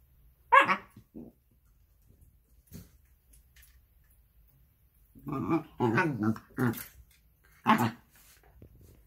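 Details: Shiba Inu, recovering well a couple of weeks after stomach surgery, gives a sharp short yelp, then after a pause a run of rough, grumbling, bark-like yowls in quick succession, ending with one more clipped burst.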